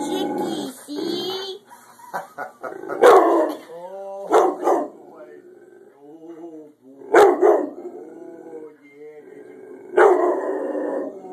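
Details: Indoor Rottweiler barking at a chicken roasting in the oven: sharp, loud barks roughly every three to four seconds, with softer whining tones between them and a woman's voice talking over it.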